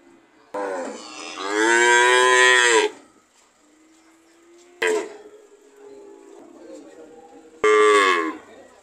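A cow gives a long, loud moo, followed by two shorter, abrupt lows.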